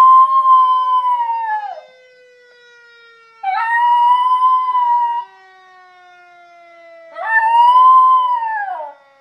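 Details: Schnauzer howling along to a fire siren: three long, even howls, each about two seconds, separated by pauses of similar length, with a quiet, gradually falling siren tone running through the gaps.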